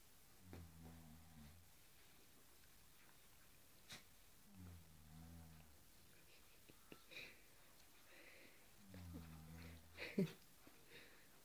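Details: Cairn Terrier tussling with a cushion: three low harmonic growls spaced about four seconds apart, with soft thumps, rustling and brief higher noises late in the sequence.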